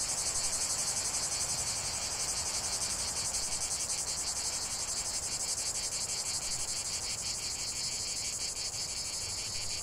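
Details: Cicadas singing in a dense chorus in the open, a loud sizzling high buzz with rapid rhythmic throbbing that holds evenly from beginning to end.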